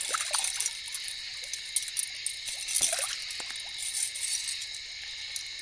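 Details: Katydids calling at night during a solo camping and fishing trip, a dense, steady high-pitched buzzing and shrilling, with a few soft splashing or clinking sounds close by; a barred owl is also reported audible.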